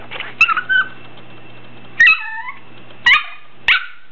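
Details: A male Bichon Frise puppy gives short, high, falling whines and yips, asking to be picked up onto the bed.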